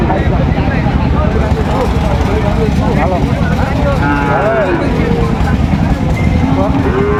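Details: Sahiwal bull calves at the Ambari cattle market in Dinajpur, Bangladesh, 26 September, as trading begins: overlapping drawn-out moos, some wavering and bending in pitch, over a dense bed of men talking and motor engines.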